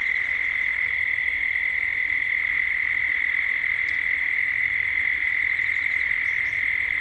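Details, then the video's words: Cicadas droning at dusk in Gippsland, Australia: a dense, unwavering hum at one steady pitch fills the whole stretch, with only a faint high tick or two above it. "Cicadas at dusk"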